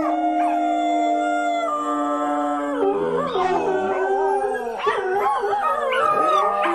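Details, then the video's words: Dogs howling: a long, even, flat howl for the first three seconds, then a chorus of lower and higher voices that bend, dip and waver together in a dense, mournful tangle. "Köpek Uluma sesi/dog Howling sound"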